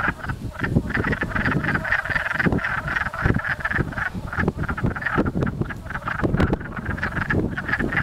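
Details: Wood frogs mating and chasing each other in a pond near a house in Blackfalds, Alberta, form a dense chorus of rapid, hoarse, duck-like clucks that overlap into a steady chattering.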